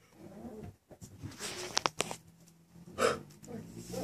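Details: Six-week-old Miniature Schnauzer puppies playing indoors in a bed, with a short, sharp yelp standing out near the end among soft scuffling, rustling and a person's voice talking to them.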